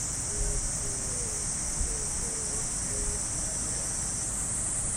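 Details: Summer cicadas in a park in Japan at early morning, their piercing high buzz holding constant without a break, while faint brief low tones recur in the first few seconds over soft low-pitched ambient noise.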